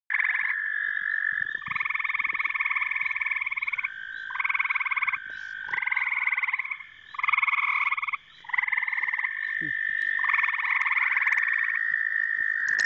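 Gray tree frogs give loud, musical pulsed trills lasting a second or two, overlapping at slightly different pitches.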